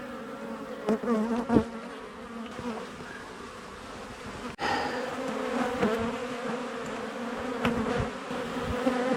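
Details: Honey bee colony being cut out of the walls of a house built in 1850, where the bees had lived for two years; a dense, steady hum of many bees with a low drone and a few knocks and handling thumps.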